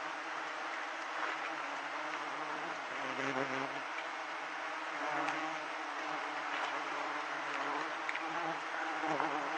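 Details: Mass of giant honey bees at a hive being cut for honey, a continuous thick droning buzz that swells slightly at moments, with scattered knocks and faint human voices in the background.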